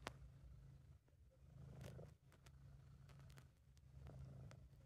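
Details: Happy, relaxed British Shorthair cat giving a low throaty purr in an amateur recording, rhythmic rumbling in breath-long surges, punctuated by several brief crackling clicks and taps.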